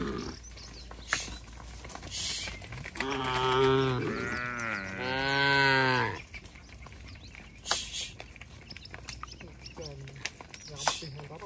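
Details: Tame cattle herded back to their shed in a village, calling to each other: one drawn-out, harmonic moo of about three seconds rising then falling, with a shorter second moo, amid footsteps, clicks and faint bird chirps.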